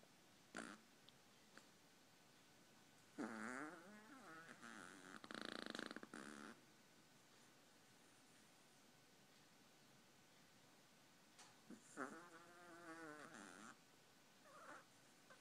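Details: Sleeping Chihuahua snoring in two drawn-out rattling breaths with a wavering, throaty texture, separated by long quiet stretches; a faint steady hum underneath.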